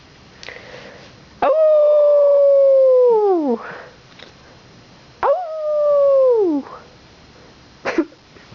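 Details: Two pet dogs howling indoors in response to fire truck sirens during a Santa Fire Truck Parade; two long, loud, steady howls, each holding pitch then sliding sharply downward, separated by a brief pause.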